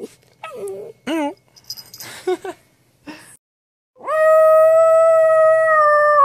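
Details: Pet dog Atlas, reacting to its owner's silly shenanigan sounds. A few seconds of the owner's playful vocal noises and short yelps come first, then a long, steady, level howl with a rich layered tone fills the rest of the clip.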